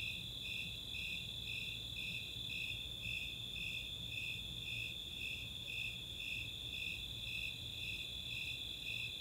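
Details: Snowy Tree Crickets and Four-spotted Tree Crickets calling on a summer night at Chautauqua open space, Boulder, Colorado; evenly spaced high chirps pulse nearly twice per second above an unbroken ringing trill.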